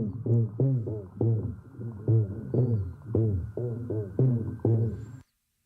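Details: Black drum (Pogonias cromis) mating sounds, Tampa Bay, where they gather in large numbers: deep, booming low thumps about twice a second, like muffled speaker bass, made by flexing muscles against the swim bladder and carrying far to people ashore.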